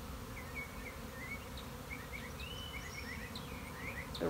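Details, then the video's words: Honey bee colony swarming on March 26, 2021: a steady, dense low droning roar fills the whole clip, with small birds chirping short whistled notes above it throughout. "My Honey Bees are Swarming!"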